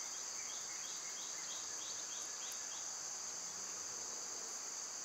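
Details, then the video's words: Cicadas sing through a summer day, an unbroken high-pitched buzz at even strength, with a short run of quick repeated chirps at the start and a soft click later. "Cicada sounds"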